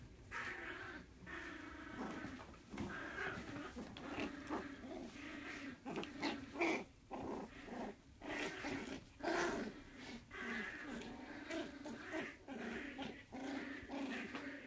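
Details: Playful Jack Russell Terrier puppy wanting to play, mixing low grumbling growls with short whiny yelps in uneven bursts every second or so, the voice rough and throaty, indoors.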